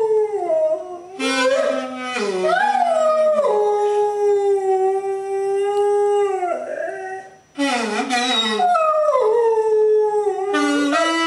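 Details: A domestic dog sings along with a saxophone from a staircase, producing sustained, soulful howls. Notes bend up and down, hold steady for several seconds, then break off briefly before resuming.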